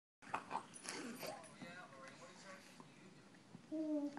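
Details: Two Rottweilers talking to each other with whining, moaning vocalizations, ending in a drawn-out, steady tone.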